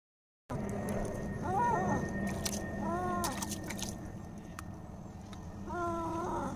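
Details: Domestic cat during a bath, giving three drawn-out, faint meows that rise then fall, spaced a second or more apart, over steady background hiss and scattered clicks.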